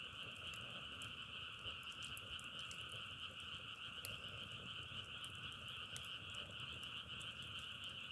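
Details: Frog chorus compared to crackling firewood: many frogs trill continuously in a thick, even drone of two layered pitches, dotted with sharp clicks, one louder snap near the middle.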